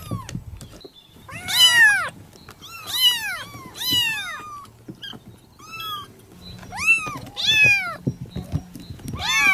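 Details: Young village cat calling with insistent high meows, arched and falling, several in quick pairs, roughly every second, over soft thumps and background rustle.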